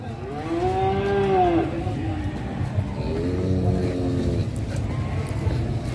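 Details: Cattle in Indonesia, described as rampaging while ploughing: a long, harmonic moo that rises then falls and ends in a downward sweep, then a second, flatter drawn-out moo, over a steady low hum.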